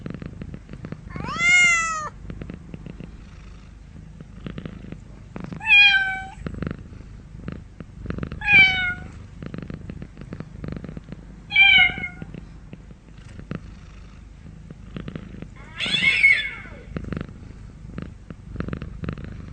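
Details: A domestic cat meows five times, roughly every three to four seconds. Each call is harmonic and drawn out, arching then falling, and the last is harsher and more strained. Faint clicking sounds in between.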